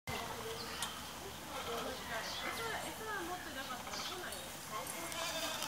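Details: One of four young capybara quadruplets at a petting zoo in Japan, recorded 12 July 2014, gives short, whiny, bleat-like calls that rise and fall, with people talking nearby.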